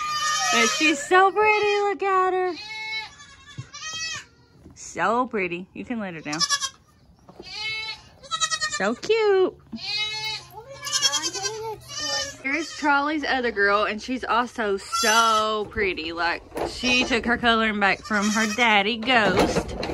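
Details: A noisy crowd of young goat kids after kidding season 2022, bleating almost nonstop in shaky, rising and falling cries of varied pitch while a human voice speaks over them.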